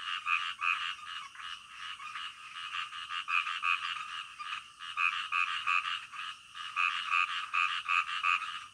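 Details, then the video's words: Frogs calling in the middle of the night: a dense chorus of overlapping rasping croaks pulsing roughly three times a second, rising and falling in loudness, with no other sounds. "SUARA KODOK DITENGAH MALAM"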